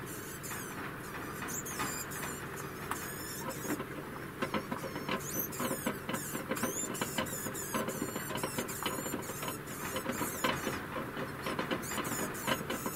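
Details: One-year-old female degu in a warbling song, bursts of high, rippling, frequency-sweeping chirps delivered in fast clusters throughout, with brief gaps between runs and a constant low room hum underneath.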